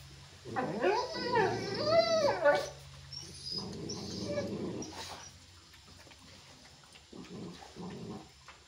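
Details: Chippiparai dog; aggressive bark; aggression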